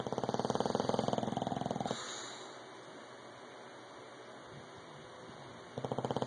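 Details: English bulldog Rocky snores loud and rough, a quick fluttering rattle lasting about two seconds, then a long quiet breath before the buzzing snore starts again near the end.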